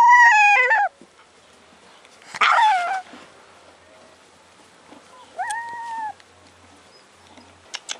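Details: Four-week-old Alaskan Malamute puppies give high, thin whines that rise and then slide downward.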